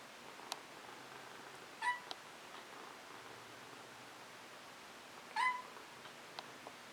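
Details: A male Maine Coon kitten gives two short, high, thin meows a few seconds apart. He is asking for the treats held in his owner's hand and is left unpetted so he will meow. Another cat's purring may be faintly audible.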